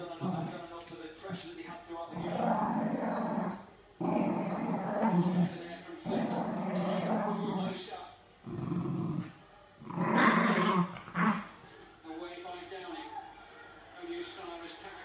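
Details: Pinot, a Sealyham Terrier, gives long rumbling growls lasting up to two seconds, broken by brief gaps and a few sharper yelps, while a man speaks in the background.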